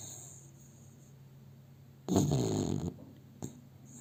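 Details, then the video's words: Sleeping pet dog cradled in its owner's arms, captured by cell phone, lets out one drawn-out rumbling snore lasting under a second, followed by a brief soft snort, against a low steady background hum. "My dog Milo, is sleeping and snoring - Ο σκύλος μου ο Μίλο, κοιμάται και ροχαλίζει"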